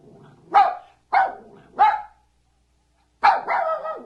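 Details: Single dog barking: three short sharp barks about half a second apart, a pause, then a longer drawn-out bark trailing into a groaning whine.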